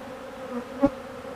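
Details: Short burst of a honeybee colony feeding on old comb: an even, low hum from many wings, with a single sharp click near the end.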